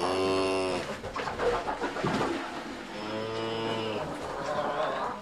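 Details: A cow gives a low, steady moo, then a rougher, noisier stretch, then a second drawn-out moo and the start of a third.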